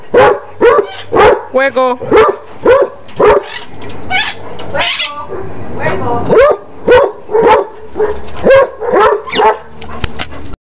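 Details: Repeated short barks from a basset hound at a brisk, fairly even pace, broken by a stretch of muddled, noisier sound in the middle and a sharp click near the end.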